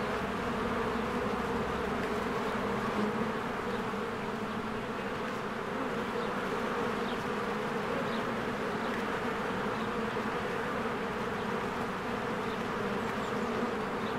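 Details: Many honeybees working at their hive in spring, flying in and out: a constant, buzzy wall of humming with steady low drone bands, no pauses, and only faint scattered high sounds above.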